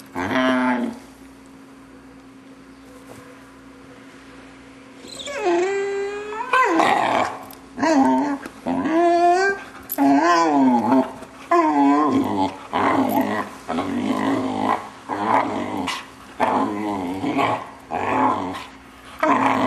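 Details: Six-month-old Vizsla puppy indoors, producing odd noises as its owners play with it: a run of wavering, yodel-like whines and grumbling growls in short bursts about every second, after a few quiet seconds.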